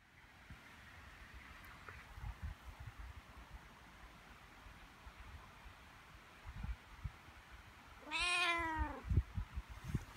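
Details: A cat basking in spring sunshine gives a single drawn-out meow that rises slightly then falls, late in a quiet stretch of soft background noise and faint rustling, followed by a person's brief remark.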